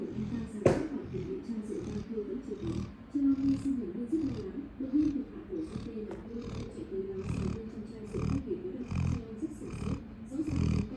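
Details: Labrador Retriever snoring: a run of rough, rasping low snores with buzzy, throaty pulses, some longer and louder than others, repeating unevenly through the stretch.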